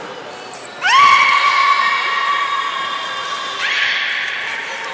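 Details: Young belugas of the children's team at Port of Nagoya Public Aquarium, playing during a pool transfer on 5 November 2017: a long steady tonal whistle with stacked harmonics, a short high squeak before it and another near the end.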